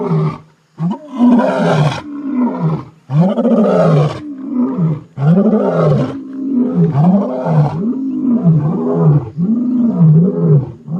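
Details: At night in the Timbavati, near Kruger National Park, two male lion brothers fresh from a giraffe kill roar in deep, moaning bouts giving way to short grunting calls, perhaps a long-range contact toward lionesses far to the south.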